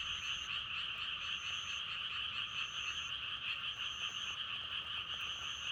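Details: A steady chorus of many frogs croaking together, set among natural wind sounds for meditation and sleep. A thick continuous buzz holds throughout, and short high tonal notes recur irregularly above it.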